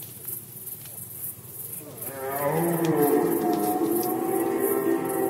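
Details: Poland, 2020 rut season: after a quiet opening, a red deer lets out a powerful, throaty, sustained roar lasting over three seconds, against a regular high-pitched pulsing background.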